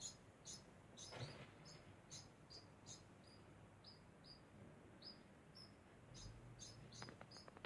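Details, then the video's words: Constant sound from a degu: quick, thin, high chirps, some sliding slightly downward, repeated about twice a second, with crackling clicks toward the end. "Degu makes constant sound"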